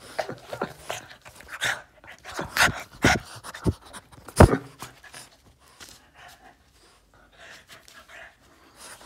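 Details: Yoda, a Boston Terrier demanding attention in a tantrum, pants and snorts in quick irregular bursts with short whiny squeals, fading to softer breathing by the end; inside a small room.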